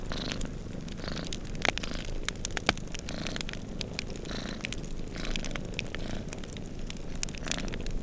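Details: Two cats purring while they doze by the fireplace as a blizzard blows outside; a continuous deep purr is partly masked by dense crackling and snapping of burning wood and a faint rushing storm.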